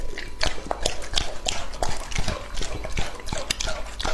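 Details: Lucky, a two-and-a-half-year-old male English-type Labrador Retriever, eating raw meat indoors. Irregular crunchy bites and wet smacks come close together, with a low thudding underneath.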